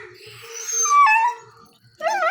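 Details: Chikku, a nine-month-old puppy born on August 15, cries after being left behind by the man of the house. A high, tonal whine slides downward and breaks off, and a brief second whine follows.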